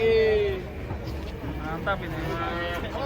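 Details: Cattle coming down off a truck during unloading, with one animal leaping and falling; a clear moo slides downward at the start, followed by fainter lowing under shouting voices.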